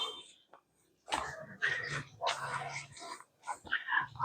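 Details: Cane Corso puppy during bite training, giving low rumbling growls mixed with rough, noisy bursts of tugging and scuffling, while a man speaks nearby.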